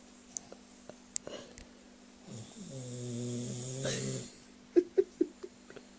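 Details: A pet dog snoring, said to sound like a human: one drawn-out, buzzy, harmonic snore lasting about two seconds and swelling in loudness, with scattered faint clicks and soft knocks before and after.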